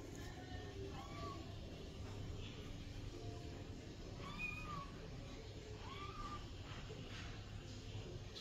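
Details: Two-month-old kitten giving three faint, thin, arched mews spaced a few seconds apart, partly buried under steady background hiss and low hum.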